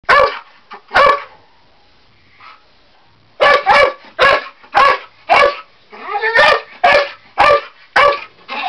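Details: A male Bull Terrier at home barks in sharp, loud bursts, mostly in a quick run of repeated barks, agitated at the attic ladder, one of his usual "adversaries".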